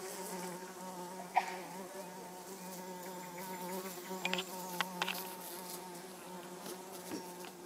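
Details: Hoverfly Xylota segnis, orange-belted, producing an unbroken low buzzing hum with rich overtones, punctuated by a few brief ticks and clicks in the background.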